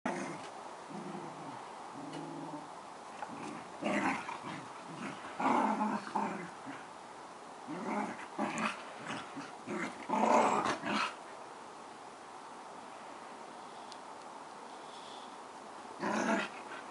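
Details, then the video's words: Two collie-cross dogs play fighting indoors, giving bursts of low throaty growls and snarls between quieter stretches, with a few sharper noisy outbursts near the middle and end. "play fighting"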